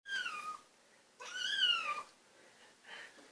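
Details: A hungry little kitten named Lucifer, being teased a little while waiting for food, gives two loud drawn-out meows, the second rising then falling, followed by a softer short call.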